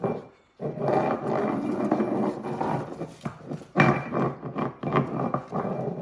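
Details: Dachshunds Loulou and Coco, Coco a puppy staying with the family, in a rough, continuous snarling growl that rumbles on for several seconds after a brief pause, with sharper louder bursts near the end.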